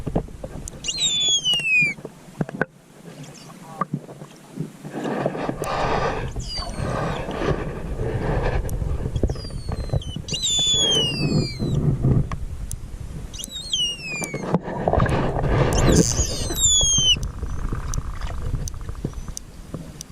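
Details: Stranded pilot whales, among about 500 beached on Tasmania's west coast at Macquarie Heads, heard underwater during rescue. Four short downward-sweeping whistles come spaced a few seconds apart amid churning water, bubbling and faint voices.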